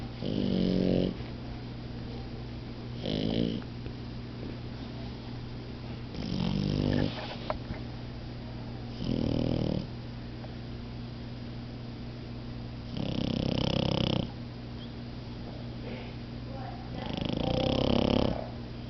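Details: Puppies Momo and Lela napping together, snoring in five loud, rasping bursts a few seconds apart, each with a buzzy low rumble and a hissing upper edge, over a steady low indoor hum.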